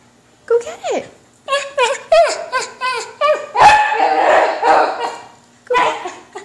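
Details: Kimchee, a pet whippet mix, wanting a balloon and wrestling with his brother Rocky indoors; short sharp barks and whiny yelps in quick bursts, mixed with a person's voice and laughter.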